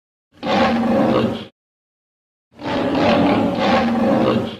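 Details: Lion, edited: two separate loud, harsh, broadband roars, each about one to two seconds long with a rough, pulsed snarl, divided by a second of silence.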